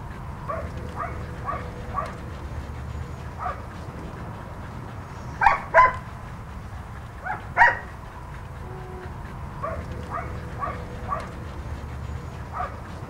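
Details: Husky Haven of LA rescue dog Ginger, a red/white two-year-old female husky, vocalizing among volunteers. Soft, wavering whines run throughout, broken by two loud paired yelps roughly two seconds apart midway, over low room rumble.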